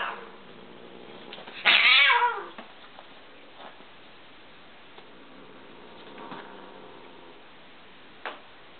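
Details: A fearless young male tabby kitten and his older, adopted Siamese sister. One loud, drawn-out meow falls in pitch over about a second, followed by quiet with faint thumps and a brief click near the end.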